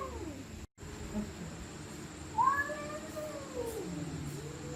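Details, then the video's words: Stray cats fighting at night: a drawn-out, wavering yowl that slides up and down, with a sharper rising cry near the middle, over a steady background hum and a brief dropout early on. "Stray Cats Screaming At Night||Angry Cats Growling Sound|Cats Fighting Sound"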